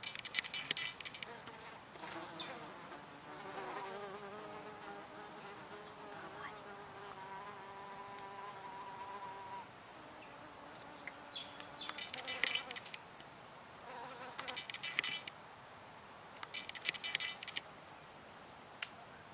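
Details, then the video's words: Hornets at oak sap, feeding: layered humming buzz with clear harmonic bands that shift in pitch as they fly close, broken by brief high-pitched chirps and scratchy bursts. "Шершни пьют дубовый сок / Hornets oak juice drink"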